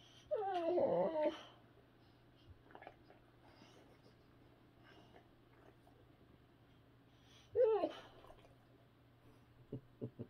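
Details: Boxer dog indoors in the morning, one of two boxers in a home, around feeding time as one refuses breakfast; two short, high, wavering whines about six seconds apart, quiet room between, with soft clicks near the end.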